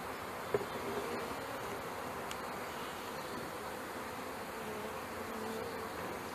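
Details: Honey bees from a package being installed into a hive in May 2013, some landing on a person's hands; a steady, dense swarm hum fills the clip, with one brief sharp tap near the start.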